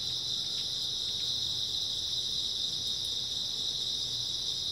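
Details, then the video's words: Grass insects calling on an early autumn night, a dense, unchanging high trill of many insects with soft low background hum and a couple of tiny ticks. "초가을 밤부터 새벽까지 백색소음 풀벌레 소리"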